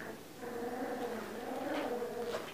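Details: Siberian Husky puppies at the Krylatki kennel whimpering in drawn-out, wavering tonal whines that rise and fall over several seconds, with a few sharper squeaks toward the end.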